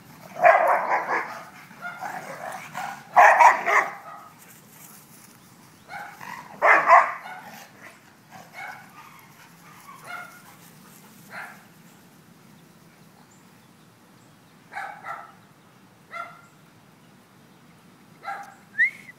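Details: Pet dog barking while having fun: a loud cluster of harsh, broadband barks at the start, then scattered, quieter single barks and yips spaced irregularly over about twenty seconds.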